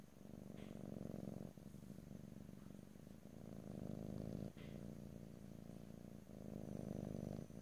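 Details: A cat's purr captured in stereo, ear to ear, without talking. The deep, buzzing drone runs in long breath cycles, dipping briefly at roughly one and a half, four and a half and six seconds before resuming.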